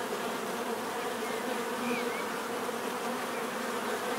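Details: Bees giving a steady, dense buzzing drone, many wingbeats blending into an even hum with bands around the low-middle pitches, unchanging throughout the short stretch; a faint brief chirp rises above near the middle.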